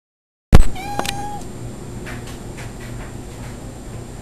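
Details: Tabby cat talking and posing, giving a short, flat, slightly nasal meow held for under half a second, after a sharp knock at the start; quiet room hum follows.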